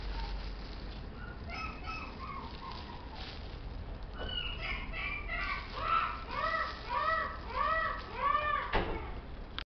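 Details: Chihuahua uttering a run of arched, rising-then-falling whimpering yelps, at first sparse and faint, then a quicker series of about two per second near the end, over constant low hum.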